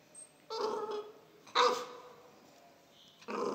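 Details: One-month-old pit bull puppy being trained to bark by having a biscuit eaten in front of it; three short, harmonic, yelping barks at about half a second, 1.6 and 3.3 seconds, separated by quiet.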